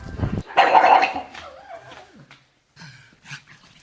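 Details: Pet pug called Derp, said to be having a hard time, letting out a loud rough bark followed by a wavering whine and softer snuffling grunts.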